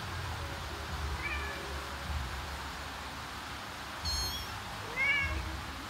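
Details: Domestic mother cat searching for her kittens and calling them to follow: a faint soft mew, then a sharper high chirped call and a brief upward-bending mew, set against constant low traffic-like rumble.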